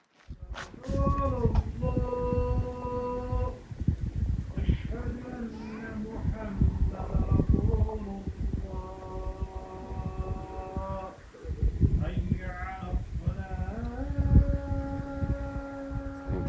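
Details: Cow in Murghab, a Kyrgyz-inhabited town in Tajikistan on the Pamir Highway, mooing after losing its young companions. Several long, steady, drawn-out moos are interspersed with close talking.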